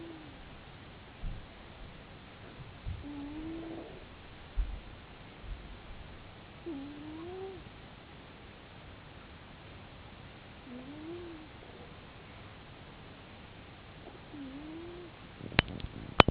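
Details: Domestic cat snoring, with soft low wavering tonal snores repeating roughly every four seconds beneath constant hiss. A few clicks and taps are heard near the end.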